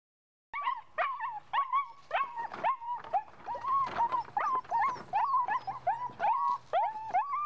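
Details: Puppy showing ball drive, giving rapid high whining yelps and yips that rise then fall, repeated several times a second in a steady excited stream, no other clear sounds.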